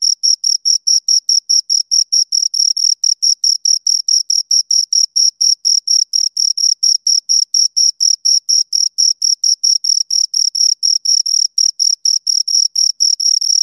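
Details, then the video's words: Shrill, even chirping from two crickets: short high pulses repeated a little over twice per second in a tight, regular train. The background is silent apart from the insects. "Two Crickets Chirp Sounds"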